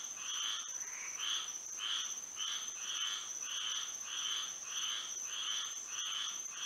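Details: Frogs singing at night under moonlight in Florida, a dense chorus of rapid pulsed croaks repeating in bursts about every half second, over a steady high insect-like whine.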